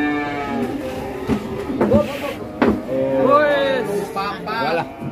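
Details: Jumbo cattle coming down off a truck to be sold; several short, bending moos rise and fall amid shouting voices and background music.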